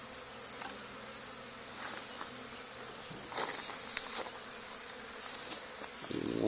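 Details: Honey bee swarm clustered on the wall of an old barn, two days after another hive was cut out there; a steady, even hum of many wings drones throughout, with a few sharp ticks and faint voices near the end.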